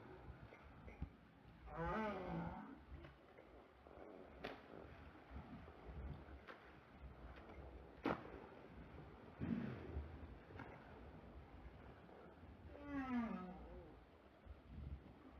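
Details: A southern right whale gives deep, harmonic moans, some bending upward, at intervals of several seconds, recorded by hydrophone; steady underwater rumble and hiss fill the gaps between calls.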